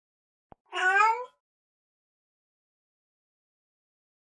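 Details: Domestic cat giving a single short meow lasting about half a second, a rising-then-falling harmonic call, followed by silence with faint clicks before and after.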